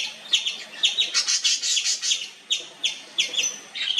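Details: Indian palm squirrel calling continuously: a rapid, overlapping run of shrill chips runs together into a harsh chatter, then slows into separate high sharp notes.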